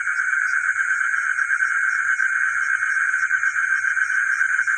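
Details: Frogs heard at night in a village: a steady, dense chorus of mid-pitched trills with a bright high-pitched hum running throughout and faint low ticks.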